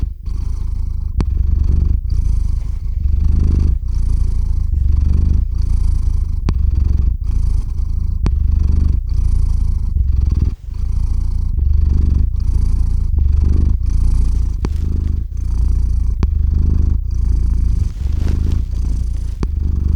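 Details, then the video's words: Cat named Theo purring loudly on the microphone while falling asleep; continuous deep rumbling purr in even inhale-exhale cycles about every second, with faint clicks between breaths, recorded with a RODE NTG-3 and ZOOM H6. "Кот мурлычет на микрофон и засыпает/The cat purrs on the microphone and falls asleep"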